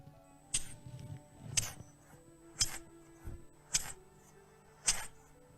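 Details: A bush-cricket (chicharra) recording played from a phone held to a microphone: harsh, jingling, rasping chirps about once a second, likened to spurred cowboys walking or sniggering laughter. A faint electronic hum and room tone sit underneath.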